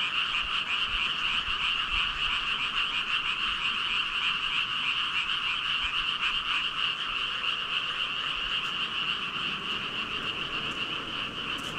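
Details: Thousands of frogs in full chorus, a steady, smeared drone of overlapping croaking with faint individual pulses and no other sounds.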